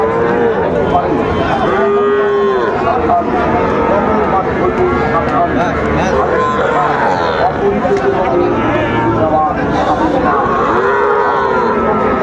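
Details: Sahiwal calves and other cattle at a busy Bangladeshi cattle market in Dinajpur during bargaining. Several separate arched moos sound a few seconds apart over constant crowd chatter and market noise.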